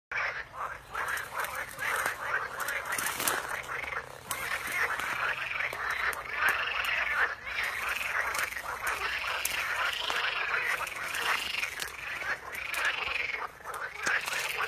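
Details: A chorus of frogs in picturesque natural surroundings: dense overlapping croaking calls with arched, pulsed notes repeating roughly every second, forming a continuous rhythmic din throughout.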